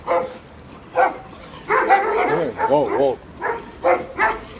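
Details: Jack Russell terrier goading the dogs at a vehicle inspection site in Samandıra; scattered sharp barks open and close the stretch while a man talks over the middle, with some higher yelping yaps.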